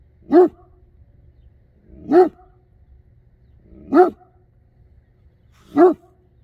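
A Great Dane gives deep, single barks, spaced about two seconds apart.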